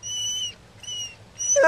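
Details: Pet dog Kota, left at home on a hot day, whines to join his family: three long steady high-pitched whines, the last breaking into a wavering yelp.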